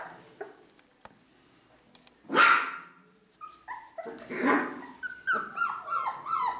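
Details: Four-week-old Ca de Bou puppies from the litter of Bea and Bubu: quiet opening with faint ticks, one loud harsh yelp, then a run of short tonal whines and squeaks, some rising and falling, crowding together toward the end.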